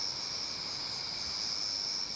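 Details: Part of a sound installation recreating Busan's natural scenery, grass insects give an unbroken, shrill, high-pitched trill, steady throughout, with fainter, even higher pulses swelling roughly once a second.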